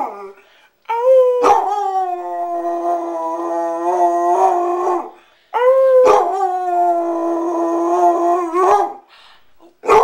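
A Basset Hound gives two long, mournful howls, each opening with a sharp yelp before settling into a wavering tone.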